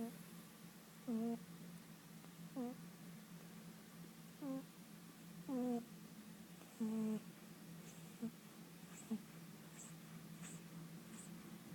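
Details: Tommy, a sleeping cat, snoring: short tonal nasal snores with a clear pitch, about every one and a half seconds, growing fainter toward the end in a quiet small room.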